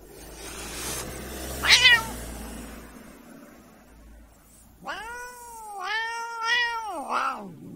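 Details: Irritated domestic cat: a brief sharp squeak early on, then a long wavering protest meow lasting over two seconds with pitch dips, over a low background hum.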